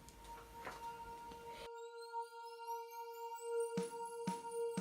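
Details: Ambient electronic music fills the recording, with sustained tones, rising synth sweeps and a few soft percussive hits. No animal sound can be picked out.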